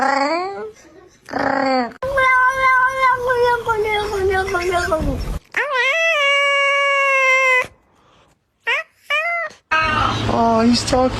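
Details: Domestic cat in a funny cat sounds compilation: long, loud, yowling caterwauls held for seconds with a wavering pitch, broken by short chirpy meows and gaps, with some voices.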